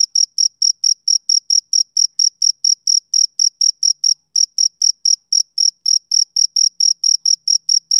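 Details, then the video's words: Male cricket on a summer evening giving quick, shrill, repeated chirps about four per second, with a couple of small gaps interrupting the otherwise regular rhythm. "Cricket Chirping Sound Effect"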